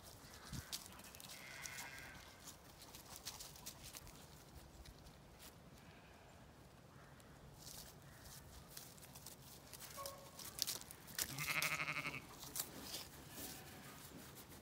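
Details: On an autumn day in a field in County Kilkenny, Ireland, Zwartbles ewes from a flock of 18, hoped to be in lamb, approach their keeper; a short bleat early, then a loud, drawn-out quavering bleat and a softer one, over steady wind and rustling.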